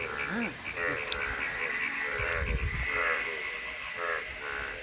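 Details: Natural frog sound from Thakurgaon district: a chorus of quick, nasal croaks, several overlapping and repeated irregularly, over a continuous hiss, with a brief click and some low rumbling noise.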